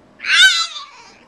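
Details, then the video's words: Frankie, a French Bulldog, sings the blues after not being allowed to come out and play: one short, high, tonal whine that swells quickly, wavers, then slides downward and fades within about a second, in a quiet indoor setting. "Frankie's Song"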